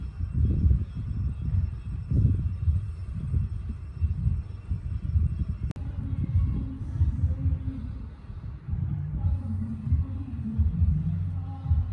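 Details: Low thumping rumbles and handling noise with one sharp click midway, and no animal call.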